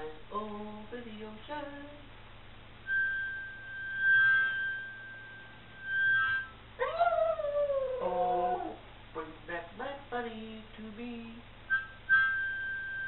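A Boston Terrier howls in long, wavering, sliding notes alongside a person's singing.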